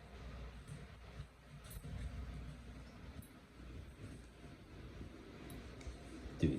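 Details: Quiet indoor room tone with low rumble, faint clicks and a brief soft sound near the end; no clear animal voice.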